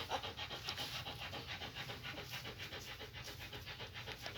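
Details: German Shepherd puppies heading back to their mother Max: fast, steady breathy panting, close to four puffs per second, loud and even throughout, light hum beneath.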